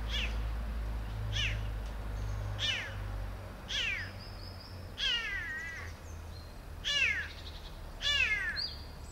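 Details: Rescued kitten, abandoned by its mother and grown up six months later, meows repeatedly: seven short, falling, harmonic-rich cries roughly every second and a half, some slightly wavering, with faint high chirps and low hum behind.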